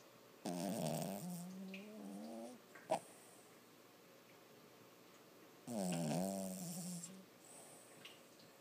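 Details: Six-month-old Lhasa Apso puppy snoring while sleeping and dreaming, two drawn-out, whiny, nasal snores about five seconds apart, each starting strong and sliding lower, with a single soft click between them in a quiet room.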